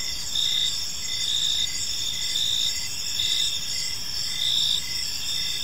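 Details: Park crickets at evening give a bright, high chirping chorus, with louder pulses rising every second or so above an unbroken shrill drone, over a faint distant low hum.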